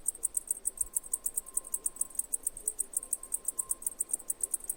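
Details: Cicada giving a steady run of high, clicking chirps, about five or six per second, with a faint thin hum running underneath.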